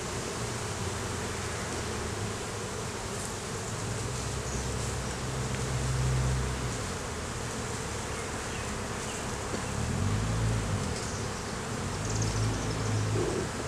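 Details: Honey bees swarming over an opened hive during an inspection that revealed a laying queen, capped brood, larva and honey; a loud, low, steady hum that swells and fades as bees pass close.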